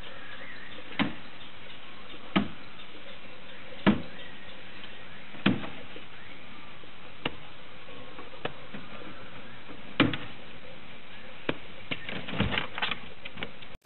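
A domestic rabbit thumps its hind foot in dull, sharp knocks to demand its owner's attention.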